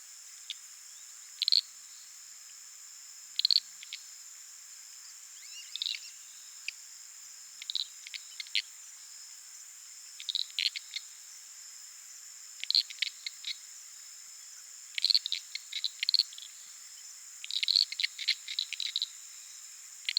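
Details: Uruguay harlequin frogs at night in a Pantanal puddle within flooded savannah, recorded using a Sony PCM A10 and Lom mikroUsi mics; sparse, brief clusters of sharp clicks every couple of seconds against a steady shrill insect background.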